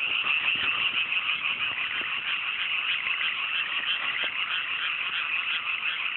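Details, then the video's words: Large frog chorus at night in cool mountain paddy fields right after rice planting, clear weather: a steady dense trilling mass with scattered sharper croaks popping out, unbroken from start to end. "FROGS SESSION"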